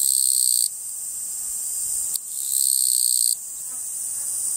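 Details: Japanese katydid song: two rasping, buzzy bursts under a second long, separated by a pause of about two seconds, above a steady high-pitched insect drone.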